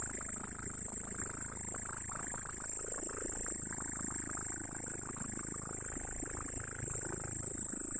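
A cricket's high, steady trill rings on without pause over a low, rumbling background.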